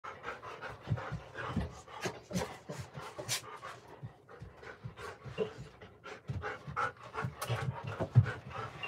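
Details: Golden Retriever captured on a home security camera, panting in rapid, uneven breathy bursts, some louder puffs standing out over a quiet indoor background with faint low hum.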